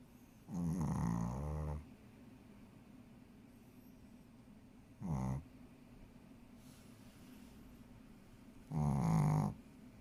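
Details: Shih Tzu snoring while asleep; three separate snorts, the first and last about a second long and a shorter one between, each a rough low grunt with buzzy overtones, long quiet pauses between.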